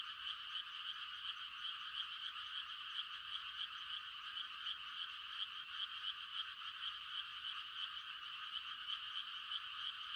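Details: Countryside frogs calling to mate at night during rice-planting time: thick, even wall of high trilled croaks from many callers, unchanging in loudness from start to end.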